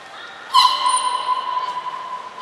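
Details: Captive belugas Nana, Mirai and Niko during training at Nagoya Port Aquarium, 11 January 2021: one steady, nasal tone held for about two seconds, with a brief thin high whistle above it in a quiet hall.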